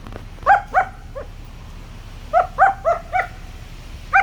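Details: Playful German Shepherd puppy Sangi, keen on his sticks, yaps twice, adds a softer short bark, then a steady string of four tonal barks and one final yap near the end.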